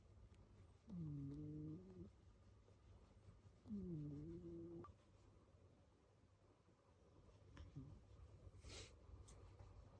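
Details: Kiyan, a house cat, snoring heavily while asleep: two buzzy, rough snores roughly three seconds apart with a dipping then level tone, followed by quieter breathing and a faint rustle amid steady low indoor hum.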